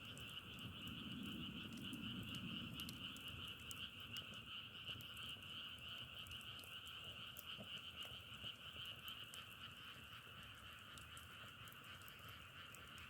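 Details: Many frogs trill together in an even, sustained chorus. Frequent crackle-like clicks sound through it, and a brief low murmur rises in the first few seconds before fading.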